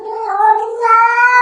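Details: House cat's continuous meow that fills the moment, starting level and lifting in pitch and strength partway through, clear and harmonic with no other sounds.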